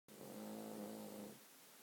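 A Cavalier King Charles Spaniel gives one long, droning snore with a steady low hum.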